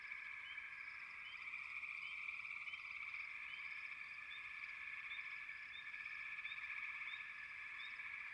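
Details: A steady frog chorus of shrill, vibrating trills, overlaid by short rising chirps repeated roughly every half second across the whole stretch.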